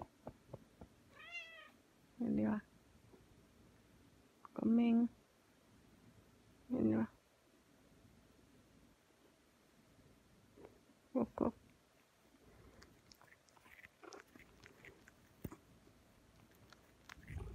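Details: Pet cat called Kkomaeng, indoors during a push-and-pull kneading session with its keeper; four short meows, each under a second, spaced about two to four seconds apart, with soft human speech calling the cat in between.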